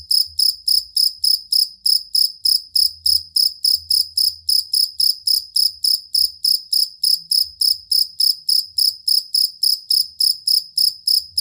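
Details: Cricket known locally as jangkrik kalung or jangkrik aduan, prized for stable long song to train birds: shrill pulsed chirps pouring out rapidly and evenly, over three a second, over barely audible low noise.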